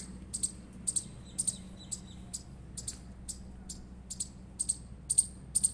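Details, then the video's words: Chirping Indian palm squirrel: bright, high-pitched chips in irregular bursts, often paired, separated by short pauses, over a faint low hum. "Indian Squirrel Chirping Sound Effect"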